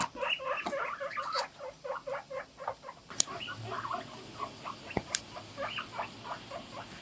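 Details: Morning calls from several guinea pigs kept together: short squeaky 'puipui' notes in quick pulsing series, broken by a few sharp clicks and knocks, the calls thinning out toward the end.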